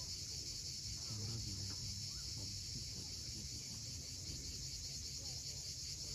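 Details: Cicadas droning without pause at sunset on the steep coast of Crimea, near Cape Fiolent; the shrill buzz sits over a thick low roar of the sea, with a few soft bird chirps.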